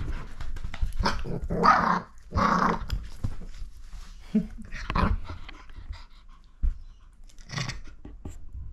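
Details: Miniature Fox Terrier Lucy fighting a hand, giving gruff growls mixed with short snappy barks and panting breaths, several loud bursts early, quieter snorts between, and a final growl toward the close.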